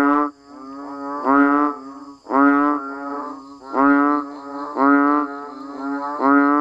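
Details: Banded bullfrogs and other frogs calling in the rain, recorded in natural rural surroundings in Thailand. Several overlapping callers give drawn-out, lowing, moo-like notes about half a second long, rich in harmonics. The notes come in irregular bursts with short quiet gaps between them.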